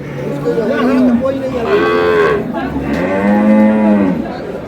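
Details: Cows with calves at the Ambari livestock market, Dinajpur, Bangladesh, March 6, 2026: several short and longer tonal moos overlapping, one higher strained call in the middle, over steady market chatter.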